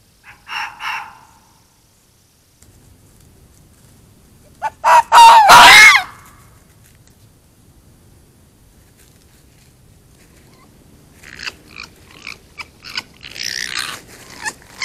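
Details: Fox screaming at night in the woods while running toward a trail camera; short harsh bursts, then a loud, rasping, one-second scream, with later scattered rough calls and rustling.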